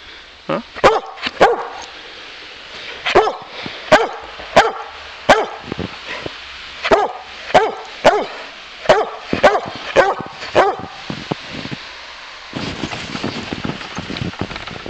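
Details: A Boxer playing in the snow barks because he wants to keep wrestling: sharp single barks, sometimes doubled, repeated roughly every half second to second, with a pause before a burst of noisy scuffling.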